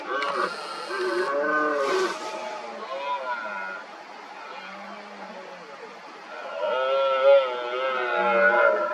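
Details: Several red deer stags roar during the 2023 rut, among many mostly smaller rivals challenging an injured dominant stag near hinds. Deep, harmonic, arching bellows overlap throughout, fading mid-clip, then swelling again near the end.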